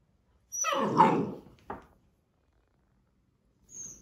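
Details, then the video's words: Labrador Retriever puppy scolding a person for disturbing him indoors: one loud, rough, noisy grumbling bark lasting about a second, a short sharp yelp-like click after it, then a faint soft sound near the end. "Labrador puppy scolding human for disturbing him"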